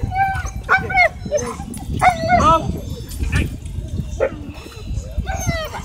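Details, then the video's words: At a dog park, a husky left screaming after a run-in with a pitbull gives piercing, harmonic-rich yelps in short clusters, with gaps of about a second, while people talk in the background. "Husky Left Screaming After Encounter With Pitbull At Dog Park"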